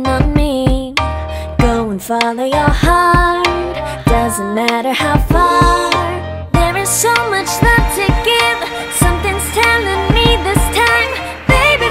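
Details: Sung pop music with a female voice, steady beat and layered instruments throughout, with no animal sound present.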